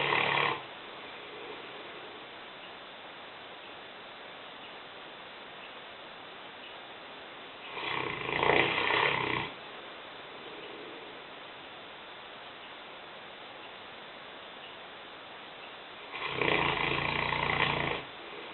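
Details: Five-year-old Newfoundland bitch Lena, 150 pounds, asleep in a kitchen and snoring: three harsh, noisy snores roughly eight seconds apart, each lasting one to two seconds, with low hiss between them.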